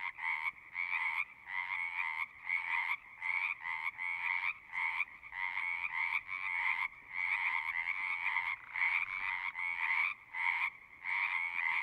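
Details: Frogs singing in repeated pulsed trills, short bursts of croaking starting and stopping about every half second to second, several voices overlapping in a busy chorus.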